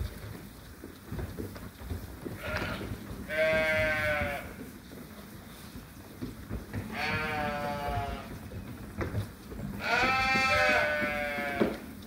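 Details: Hungry sheep awaiting feed at a sheep farm in lambing season; three quavering, harmonic-rich bleats spaced roughly three seconds apart, each about a second long, over a low mechanical hum.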